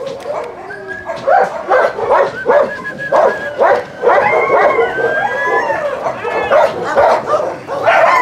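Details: Dogs at a husky kennel bark in quick, irregular bursts mixed with high, sliding yelps and whines, the noisy chorus rising to a loud, excited finish; applause follows.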